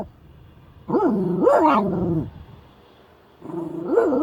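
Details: A Shiba Inu gives drawn-out, yodelling barks that rise and fall, unhappy with a stranger walking too close to the car.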